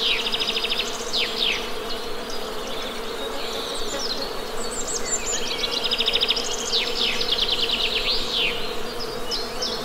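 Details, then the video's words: Low continuous humming from honey bees carries throughout, while birds repeatedly give rapid, high trilled chirp series and sharp downslurred notes over it, outdoors in nature. "Best Honey Bee Sound!"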